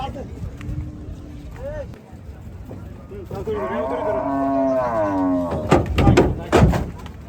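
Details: Gaiya cow on a cattle farm during unloading, giving a drawn-out, rising then falling moo lasting about two seconds, with men talking and shouting in Bengali before and after it.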